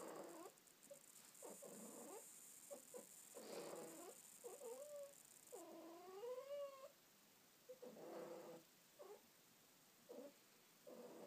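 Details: Domestic cat snuggling under a blanket, chattering with many brief chirps and murmurs, about thirty-two calls a minute, including one longer rising meow midway, steady faint hiss in background.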